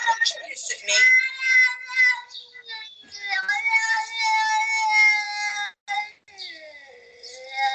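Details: A cat makes a series of loud, drawn-out whining yowls, some wavering and some sliding downward, with brief pauses between the cries.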